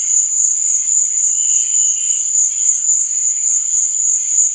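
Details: A continuous, bright cricket trill at night, high and even throughout, with a gentle wavering murmur of lower tones beneath the chorus.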